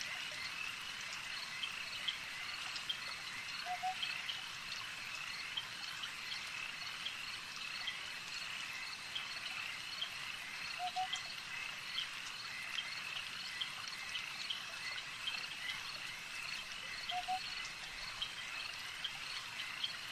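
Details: A lakeside frog chorus runs as a continuous shrill, buzzing wall of sound, broken by three brief low double croaks spaced several seconds apart, with faint trickling water beneath.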